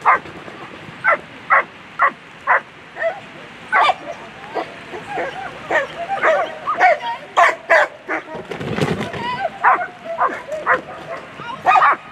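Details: Repeated sharp barking from a German Shepherd during a World Championship agility run (A3 Sunday, first place), Queen v Lesimo, barks coming about every half second amid arena hubbub and a brief rushing noise midway.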